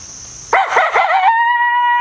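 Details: Coyotes howl at the start of a hunting stand, one opening with a rough, wavering burst that settles into a long, steady tone.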